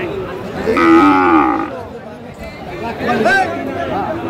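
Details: Sahiwal bull calves at a cattle market in Dhaka, 15 February 2025: a loud harmonic moo of nearly a second, then a second rising-falling bawl, over crowd chatter and bargaining voices.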